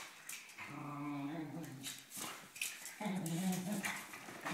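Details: Dachshund; growls and whines; fighting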